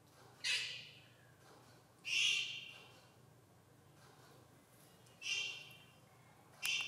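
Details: Jaguar cub making four high, squealing greeting calls at uneven intervals, some short and abrupt, others longer and descending, with a low steady hum underneath.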